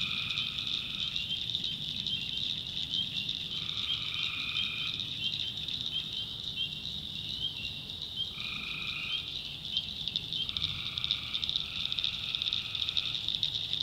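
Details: Night chorus from a North Carolina backwoods swamp: tree frogs give four spaced, steady droning calls of about a second each. A dense, shrill insect drone runs throughout.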